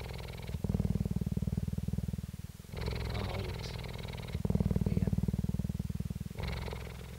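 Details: Jade, a female cheetah (Acinonyx jubatus) at a cheetah centre in Parys, South Africa, recorded 5 May 2019, purrs in a deep, steady rumble, alternating lower and brighter phases with each breath.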